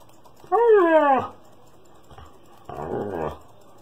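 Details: Attention-seeking Siberian Husky in a small room during a tantrum: a short rising-then-falling whining howl, a pause, then a softer, rougher grumbling vocalization.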